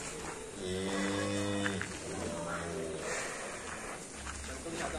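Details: Cattle lowing: a deep, droning harmonic moo lasting about a second, then a shorter, fainter second call, with men talking over it and background noise throughout.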